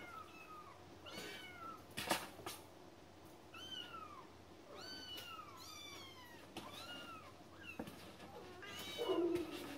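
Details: Cats meowing repeatedly: arched, strongly harmonic cries that rise then fall, coming every second or two in an uneven run, with a few sharp taps and thumps between calls.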